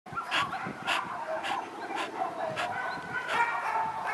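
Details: Shelter dogs in Rzeszów barking together, a steady run of sharp barks roughly every half second over a continuous chorus of overlapping barks and yelps.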